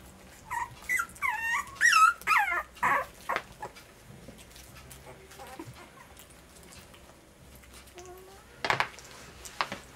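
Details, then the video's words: Puppies at dinner time on day 23 let out a run of high, wavering whimpers and squeals in the first few seconds, then quieter scattered whines and a few soft yips in a small indoor room. "Puppies Dinner Time"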